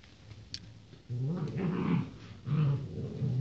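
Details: Rottweiler puppies born 28 January 2016, male pups, give low, rumbling growls and grumbling calls in two bursts.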